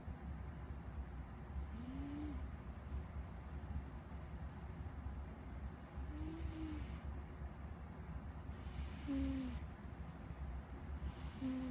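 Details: Pet cat named Squeak snoring: four breathy hissing snores a few seconds apart, each with a faint low whistled tone that bends up and down, over a steady low hum.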